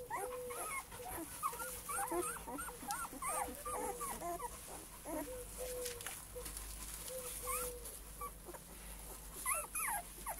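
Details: Litter of male Cane Corso puppies whimpering together: overlapping high, arched whines rise and fall almost continuously, with a few steadier drawn-out whines, against a low background hum.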